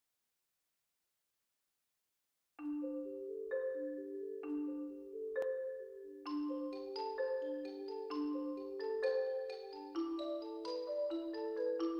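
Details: After two and a half seconds of silence, a bright marimba melody begins and builds into a busier, layered tune.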